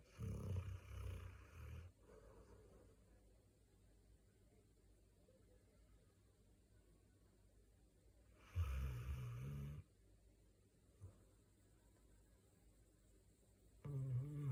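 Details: A sleeping mixed-breed large dog named Gangdol snoring like a person: deep, rumbling low snores in bursts near the start, around nine seconds and at the end, separated by long quiet stretches.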